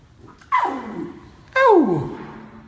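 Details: A baby lion screaming in a voice likened to a human baby's: two sharp, falling cries, each starting high and sliding steeply downward over about half a second, in a small room.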